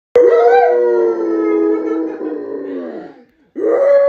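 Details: A Rottweiler gives a long, drawn-out howl that slides gently downward while a woman howls along with it.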